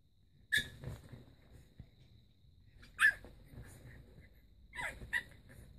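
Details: A black pug puppy gives a few sharp, high yaps mixed with snuffly sneezes.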